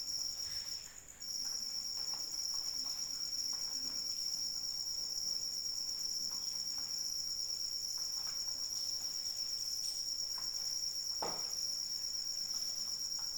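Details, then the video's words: Cricket song in rain: after a short pause in the first second the high, sustained trill starts and then runs unbroken, layered over soft rainfall and a few sharper drip sounds. "Suara Hujan dan Jangkrik Pengantar Tidur"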